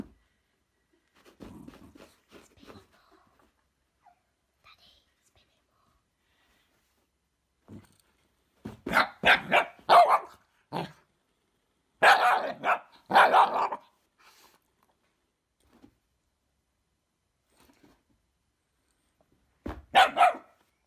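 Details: Feisty female Shiba Inu from West Sussex, England, reacting to a fidget spinner she fears: quiet murmurs early on, then loud clustered yelping barks in quick series, a pause, and a final short outburst.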